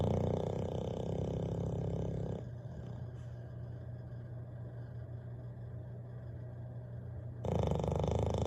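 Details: Bailey, a Bulldog, snoring while asleep by the fireplace: a deep, rumbling, steady drone, louder at the start and end with a softer, quieter stretch in the middle.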